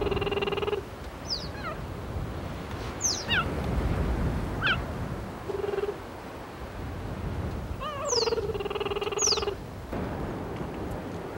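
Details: Bird-like cheetah chirps that slide downward, mixed with steady humming tones. A mother is calling her two-to-three-month-old cubs to a freshly caught hare on the grasslands of the Maasai Mara, Kenya.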